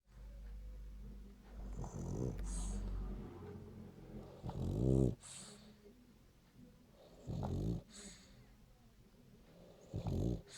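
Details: Royo, a French Bulldog, snoring in his sleep: deep, rasping snores about every two and a half seconds, each a low rattling burst with a hissy breathy edge, and quieter breathing between them.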